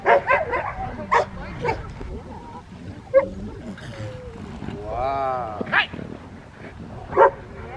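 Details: Rottweiler during schutzhund protection training with a helper on the field: short sharp barks in scattered bursts, with a drawn-out harmonic whine-like cry near the middle, mixed with human voices throughout.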